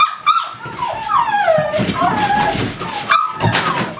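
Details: Amstaffs at a breeding kennel give drawn-out, falling whines and short yelps. The cries ripple through in wavering strands with brief gaps between them, and a gentle female voice murmurs in the background.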